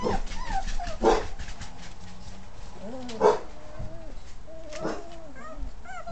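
Basset Hound puppies whimper and whine together, with a few sharp yelps breaking through.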